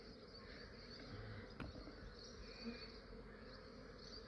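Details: Honey bees of a large swarm in Australia, collected early in the morning while still cool: continuous dense buzzing drone, fairly quiet, with one short knock partway through.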